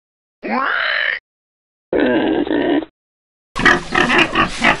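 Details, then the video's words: Farm pigs: one rising, whining squeal, then a rough, buzzy grunt, and finally a burst of harsh, choppy squealing, each sound cut apart by a moment of silence. "O SOM DOS PORCOS é inconfundível!"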